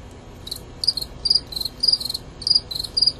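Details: Two fighting male Gryllus pennsylvanicus produce loud, high, shrill chirps in quick succession, about a dozen short pulsed bursts in three seconds with irregular spacing and brief pauses between them.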